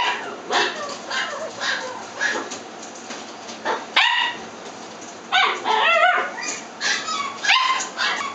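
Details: Toy Poodle whimpering and yipping in high-pitched, wavering cries, separated by brief pauses, with a few sharper yelps toward the end.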